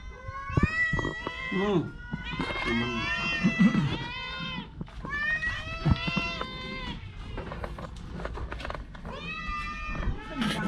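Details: Orange cat suffering from a cough and cold repeats strained, nasal meows in bursts about every two seconds, mixed with nearby human speech and handling noise.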